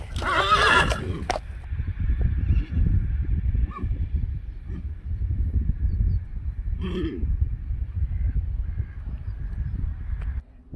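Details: Friesian horse giving a short, harsh whinny right at the start, followed by a long stretch of low rumbling background noise and a faint second call near seven seconds.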